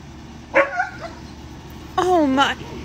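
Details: Pet dog indoors giving two short, sharp barks about a second and a half apart, the second longer with a yelping fall in pitch, amid people's voices.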